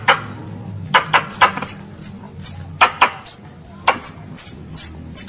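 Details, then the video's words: Squirrel calling for its mother, giving short, very high squeaky notes in an uneven series, mixed with sharp, broadband clicks and taps and a low rumbling background. "THE SOUND OF A SQUIRREL CALLING ITS MOTHER"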